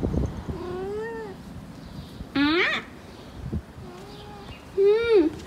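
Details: Persian cat in heat giving drawn-out, wavering meows, some rising then falling, with a louder, sharper yowl in the middle and another near the end; a few soft knocks at the start.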